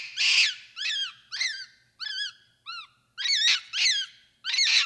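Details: Capuchin monkey giving a rapid series of about nine high, squeaky calls. Each call is a short, arched, whistled chirp with bright overtones, separated by brief gaps. The background is otherwise quiet with a faint low hum.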